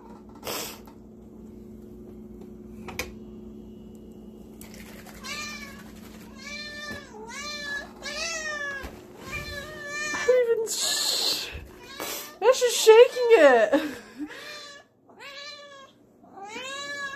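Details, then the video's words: Male pet cat indoors in a kitchen, freaking out at the sound of canned whipped cream being sprayed; a run of rapid, insistent harmonic meows rising and falling, some wavering and strained, with brief hissy spray bursts and a woman's voice. "My cat FREAKS over the sound of whipped cream"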